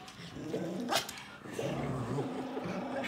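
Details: Samoyed playing tug with an American Eskimo dog, pulling it: low, rough, continuous rumbling growl that wavers in pitch, with a few scuffling clicks and thumps from the tussle.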